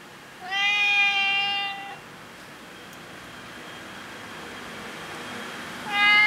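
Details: Stray tabby cat that seems to know the person and wants food, giving a clear drawn-out meow lasting over a second, then a quiet pause before a second meow starts at the end; a faint steady hum in the background.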